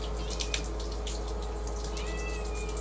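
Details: Little pet cat indoors, giving a short, thin meow that rises then levels off near the end, over a steady electrical hum and faint tapping noises; a person speaks soothingly just before and after.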